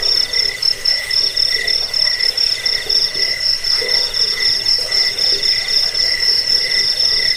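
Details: Cricket chirping, played to drive away rats, lull listeners to sleep and tutor songbirds; shrill pulsed trills repeat rapidly in a steady, dense stream, high-pitched with a lower ringing band beneath, no other sounds.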